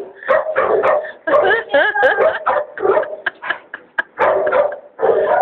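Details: A six-month-old St. Bernard puppy, nearly 100 lbs, resisting being put into a bathtub by a groomer. It gives repeated harmonic whines and yowls, about eight bursts in five seconds with short breaks between.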